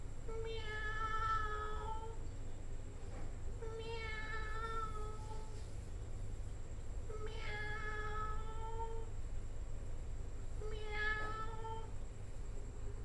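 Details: Four prolonged cat meows at a steady pace of about one every three and a half seconds, each a sustained, slightly wavering wail that fades at the end, with a continuous low rumbling hum and thin high tone behind.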